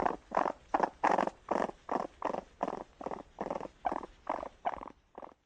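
A raccoon makes a raspy, purr-like churring, broken into short buzzy bursts repeated nearly three times a second. The bursts stay mid-pitched and fade slightly toward the end.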